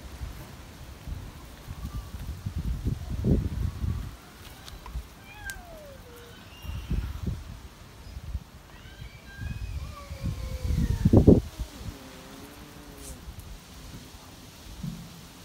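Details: Cat meowing outdoors on a windy late afternoon. Several drawn-out, descending meows come in the middle, followed by a cluster of wavering, overlapping meows, over steady low rumbling wind gusts.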